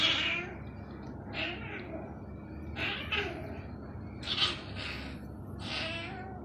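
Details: Small cat making noise after being naughty: a series of about six raspy, high-pitched wailing meows, each lasting under a second, over a steady low background hum.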